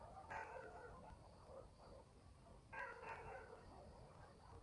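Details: Dogs in a village at night, country setting: two sharp barks about two and a half seconds apart, with fainter barking between them over a steady low rural hum.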